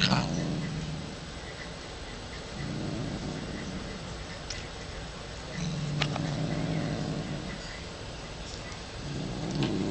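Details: Moody female house cat attacking when petted: low, steady growls in long droning stretches with brief breaks, a few sharp clicks and rustles in between.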